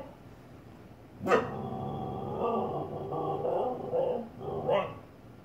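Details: Siberian Husky Bella indoors, barking at herself in the fireplace without realising it is her reflection. A sharp bark opens into a long, wavering, talkative howl, ending with another short bark; faint room noise behind.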